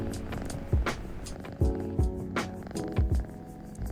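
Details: A female Burmese kitten, about four months old, purrs near her owner with a low, steady rumble and soft thumping pulses, under quiet background music.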